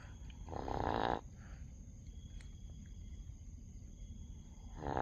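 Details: Sleeping dog snoring: a loud, rough, buzzing in-breath lasting about a second, then quiet with a steady background hum before the next snore begins at the end.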